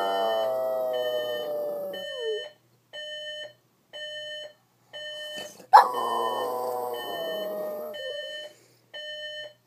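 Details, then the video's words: Lucy, a pet Boston Terrier, howling at the alarm clock she dislikes; long wavering whining howls with sliding pitch, broken by a steady beeping alarm repeating about every second, then a sharp thump and another rising howl. "Boston Terrier doesn't like alarm clock"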